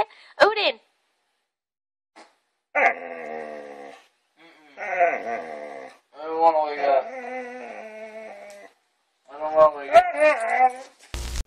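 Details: Pet dog indoors waking its owners in the morning, giving long wavering howl-like whines in bursts of one to two seconds, each sliding downward, while a person speaks and greets it between the calls.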